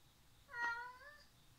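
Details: Cat meowing while playing in a jungle-gym tunnel, filmed 19 September 2019: a single short, clear meow with a rising-then-falling tone lasting under a second, otherwise a quiet indoor background.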